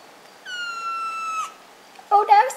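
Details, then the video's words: Jasper, a pet cat, gives a sad meow: one long, steady, slightly falling tone lasting about a second, followed after a short pause by a person speaking affectionately indoors. "Jasper has a sad meow"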